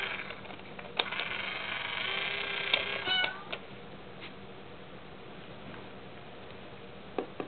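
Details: Pet cat Mayu, disturbed over the toy kitty in an Itazura coin bank, gives one sustained, slightly falling meow lasting about two seconds, followed by quiet room noise and a few clicks.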